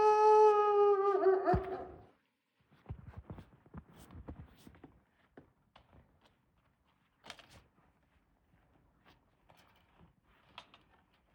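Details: Wolfdog in an enclosure at Wolfdog Forest (Ookami ken no mori), snow-covered Hokkaido, Japan: a loud, steady harmonic howl held about two seconds, dropping away at the end, followed by scattered footsteps, thumps and rustling.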